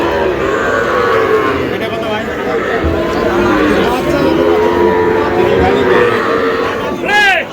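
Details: At a cattle market where a Narsingdi farmer buys the smallest bull calves, a Sahiwal calf among them, long, low bellowing moos continue through the clip against crowd noise, with a brief sharp rising cry at the end.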